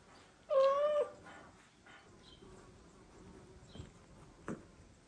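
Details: Domestic mother cat constantly meowing to the father cat as she brings him a kitten to care for; one clear half-second harmonic meow, then quiet rustling and a faint tap.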